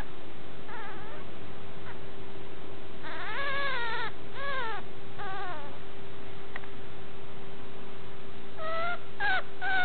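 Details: Puppy giving high, whining whimpers in short bursts, each note arching up and falling, several close together near the start and middle, then a quick run of sharper whines at the end, over a steady faint hum.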